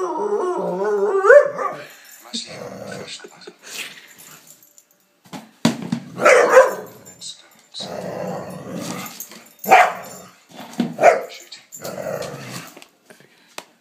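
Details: Former Palestinian street dog now in Canada, going crazy playing with a lamp shade: opens with a wavering rising howl, then a series of harsh growling bursts separated by short pauses.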